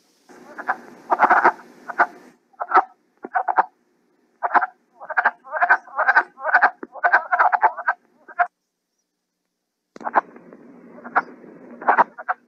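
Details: Wood frogs (Lithobates sylvaticus) chorus in spring with short, hoarse clucking calls in rapid bursts, likened to ducks quacking, chickens clucking or turkeys; the species breeds over just a week or two.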